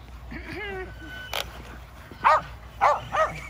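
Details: Home exercise session for five Kerry Blue Terriers chasing an E Revo remote-control car. A brief whine is followed by three loud, ringing barks spaced about half a second apart.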